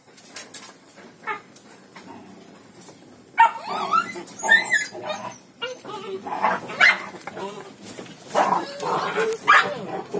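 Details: Four-month-old black village dog pup, offspring of Blacky, kept by a village dog breeder; loud bursts of sharp yapping barks and whining yelps in irregular clusters, with human voices mixed in.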